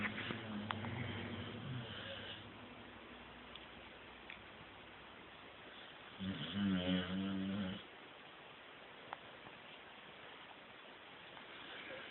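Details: Lucy, a sleeping puppy recorded indoors on an Android phone, gives one buzzy, harmonic snore lasting under two seconds midway, after some soft low rumbling breaths at the start; otherwise a quiet room.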